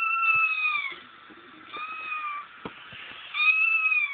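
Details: Kitten cries played to Frank, a female cat who once had kittens; three long, slightly falling mews follow one another closely, separated by short dips and a few faint taps.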